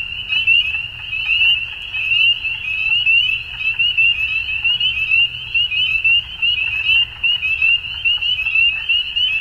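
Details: Frogs calling at dusk in a dense chorus: a continuous high, shrill trilling band that pulses steadily, many overlapping callers with no gaps, and a faint low rumble beneath.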